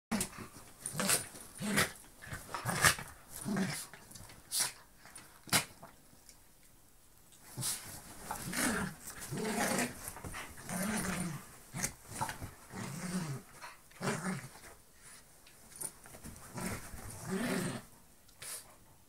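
A Bull Terrier growls and snorts in playful bursts, with yips and scuffling indoors.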